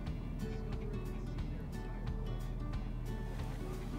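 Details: Steady music over a low engine rumble, with faint water-like background noise and no animal voice.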